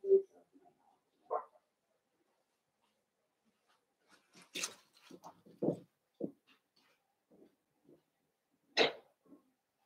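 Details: Blenheim Cavalier King Charles Spaniel puppies, one of a litter of five born at New Year's, in an indoor puppy pen; short scattered yaps and barks, a few sharp high bursts, with quiet gaps between them.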